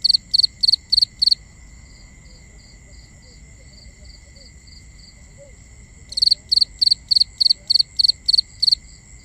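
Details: Crickets calling at night in binaural nighttime ambience: loud bursts of rapid high pulsed chirps, about three per second, pausing for several seconds while fainter distant chirping continues, over a steady high insect hum.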